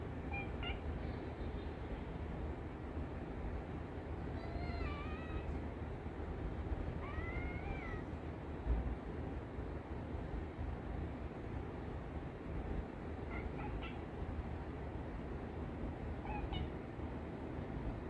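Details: Domestic cat calling and tapping to wake its sleeping owner, a habit of hers; several short, faint, rising-then-falling meows scattered across the recording over a steady low indoor rumble.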